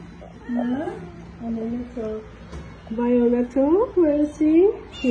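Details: Kittens and cats at feeding time, several meowing in turn; a run of short, bending meows, some rising then falling, coming about twice a second, growing louder toward the end.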